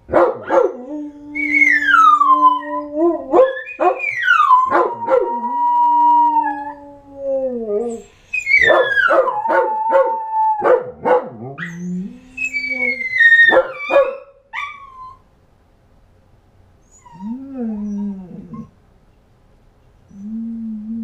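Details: Pet dogs in a howling chorus, with falling and wavering howls overlapping, broken by short yips and barks, then quieter low howls trailing off after pauses.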